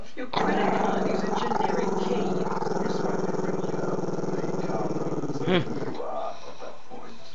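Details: Chester the Maltese-Shih Tzu pup, shy of the camera, growls at it: a continuous gravelly growl lasting nearly six seconds with a short higher yelp-like catch near the end before fading to quiet.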